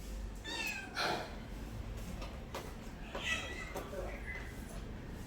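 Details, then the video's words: Domestic cat giving a pair of short, harmonic meows early on, followed by quieter mewing sounds, with human speech and room noise in the background. "my cat original sound and reaction"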